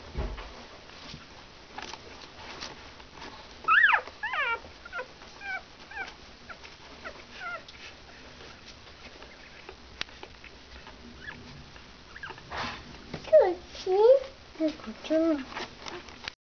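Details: Four Shetland sheepdog puppies of Cristal, only a few days old and moving about faster and faster, whimper in thin high squeaks that rise and fall in pitch, a burst early on, then lower squealing whines near the end with quiet gaps between.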